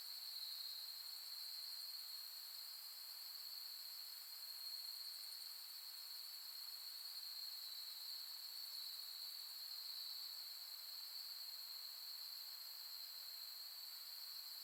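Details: Late-summer autumn insects singing at night on Soni Highland grassland in Nara, Japan, August 2021: a dense, sustained high-pitched trilling that barely wavers for the whole stretch, with softer pulsing layers higher up.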